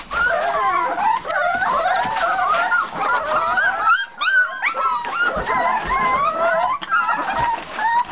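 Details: Seven-week-old Olde English Bulldogge puppies gathered in a puppy box produce a chorus of thin, quavering whines and squeaky yelps, pausing briefly near the middle before the crying resumes.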